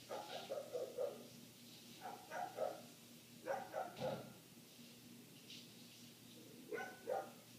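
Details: Muffled barking of a neighbor's dog that kept going for eight minutes, picked up inside with the windows shut; short clusters of quick barks with brief gaps, over a constant low hum.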